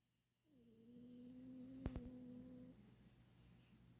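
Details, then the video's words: Sleeping domestic cat snoring: a steady, even-pitched nasal hum drawn out for about two seconds, with a pair of sharp clicks near its middle, set against a quiet indoor background. "코골이 고양이"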